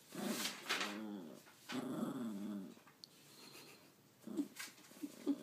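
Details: Indoor pet dog 'talking' with a series of wavering, rising-and-falling moans in quick succession, then short squeaky whines toward the end.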